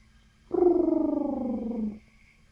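A guinea pig makes a single drawn-out, buzzy call with a rapid throbbing quality. The call starts moderately low, sinks steadily in pitch, then cuts off, with a quiet room around it.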